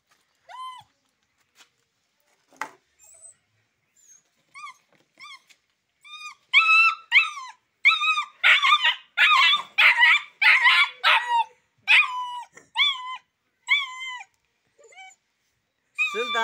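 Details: Rottweiler-Boxer mix puppy, said to be very aggressive, making scattered short whines that build into a dense run of loud, high, strained yelps in quick succession, then taper off into separate whimpers.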